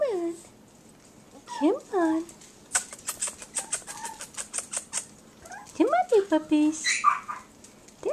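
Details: Four-week-old puppies of a dog named Jazzy, indoors, giving rising-falling whines and squeals in short bursts, with a fast patter of taps and a person's voice nearby.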